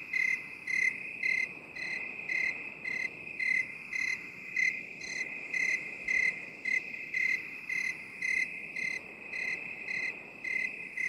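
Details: Cricket chirping in a binaural recording for relaxation: a steady ringing trill underneath, with loud pulsed chirps recurring about twice per second and a faint hiss in the background.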